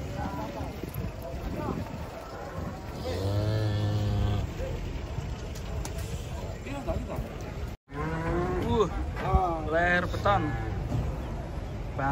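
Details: A huge, agitated bull coming down off a truck lets out two drawn-out, wavering moos several seconds apart. Men talk and call out excitedly around it, with vehicle noise behind.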